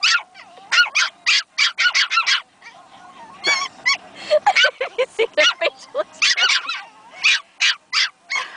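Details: Baby Pomeranians Princess and Bastian letting each other know they found their voices: rapid strings of piercing yaps, a middle passage of short squeaky whimpers, then dense barking again.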